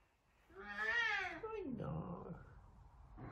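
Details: Talkative Savannah cat Sabian calling out while searching for Sabina; one drawn-out rising-then-falling meow sliding into a lower moan, over a soft background hum.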